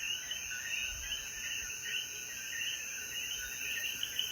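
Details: Coquíes calling together in the hills of Jayuya, Puerto Rico, as the sun sets after rain. Their chirps pulse in a thick, rippling chorus beneath a steady high insect buzz, with brief low bumps.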